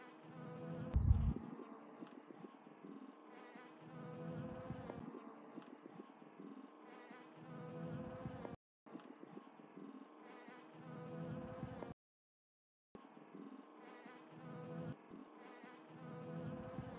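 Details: Western honey bees buzzing in spring among rapeseed flowers make a steady, low, droning hum that swells and fades as they pass close.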